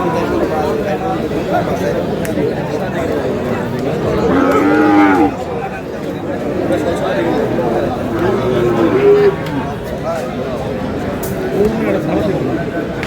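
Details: A Sahiwal bull calf at a cattle market in Cumilla, Bangladesh, on 9 June gives one low, drawn-out moo around the middle. Constant crowd chatter and bargaining voices continue throughout.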